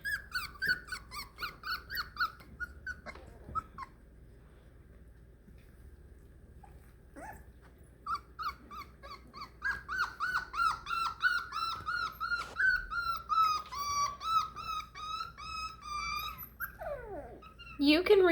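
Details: Four-week-old Beagle puppies, first time away from their mother, whimper and squeak in a small room: high, wavering cries, some sliding down in pitch, come in uneven bursts, then a long run of rapid repeated yelps with a shriller cry at the end.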